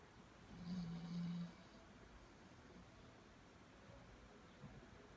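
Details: Sleeping Labrador Retriever named Cumbia gives a single low, buzzy snore lasting about a second near the start, followed by soft, quiet breathing against steady background hiss.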